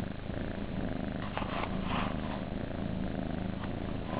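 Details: Purring kittens in their nursery: deep, even rumble of rapid pulses, with faint brief rustles over the top.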